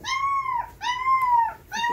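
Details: Young puppies reacting to music with loud, clear, sustained howls: two long steady tones that bend downward at the end, followed by the start of a third, voiced in quick succession.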